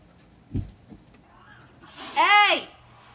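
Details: A domestic cat gives one drawn-out meow that rises and then falls, after a few soft knocks and small sounds in a quiet room.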